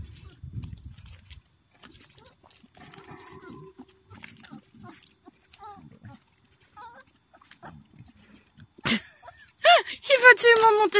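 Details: Black-and-tan Beauceron puppies, 28 days old, born in 2016: soft scattered rustling and faint squeaks, then shrill, wavering whines and yelps rise sharply near the end, with brief human murmurs in between.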